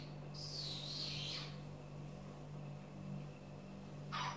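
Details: Six-week-old puppies: a thin, high whine held for about a second, wavering slightly in pitch, then a short sharp cry at the very end, all over a steady low electrical hum indoors.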